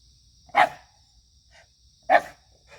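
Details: Two loud, sharp barks about one and a half seconds apart from a lively white Shiba Inu, recorded 9 September 2024, with a faint high insect whine and soft murmurs between them.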